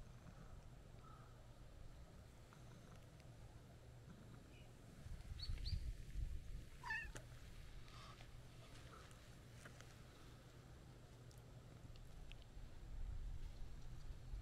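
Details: White-and-orange stray cat meowing as it walks up beside a road, seeking affection; one clear bending meow midway with a few fainter ones around it, over a steady low rumble.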